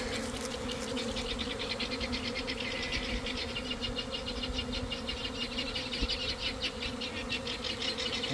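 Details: Honey bee swarm drawn by a sprayed swarm pheromone lure near a garden hive in early afternoon; loud continuous buzzing with steady low hum bands and rapid flickering high wing noise pulsing throughout.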